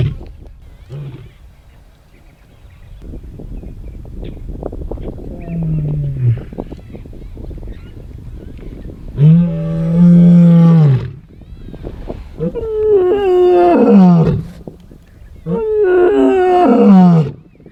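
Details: Two male lions roar in the dry bushveld in the morning near camp, deep drawn-out moans building into a series of powerful bellows, as a display of dominance and strength.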